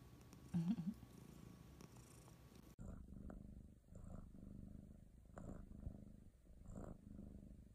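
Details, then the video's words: Contented pet cat purring, a low vibrating rumble that grows clearer after a sudden cut partway through, pulsing gently with each breath; faint clicks in the background. "Cats purring happily"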